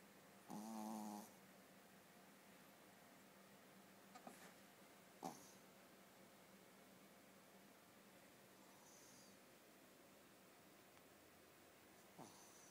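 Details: Sleeping Shih Tzu indoors giving one buzzy, wheezy snore near the start, followed by long quiet stretches with a few soft clicks and breathy rustles against low room hum.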